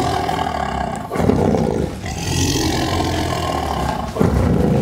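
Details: Sumatran tiger (Panthera tigris sondaica) gives deep, rumbling roars in rough, sustained bursts, recorded from only about 2 metres away.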